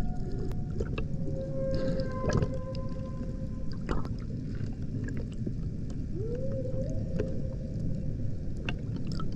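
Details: Humpback whale recorded on the Banco de la Plata expedition off Puerto Plata, Dominican Republic: a faint held tone early, then a brief rising upsweep, mostly buried in heavy low rumble and clicks from water and boat.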